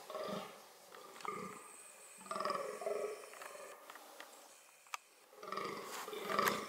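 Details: Fallow deer (Dama dama) during reproductive behaviour: hoarse, belching groans come in irregular bursts with quieter gaps between them, and a sharp click near the end.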